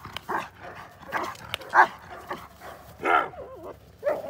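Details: Male Belgian Malinois Trooper, intact, doing bite work on suit and sleeve, giving scattered short barks with a wavering whine in between, irregular and fairly loud.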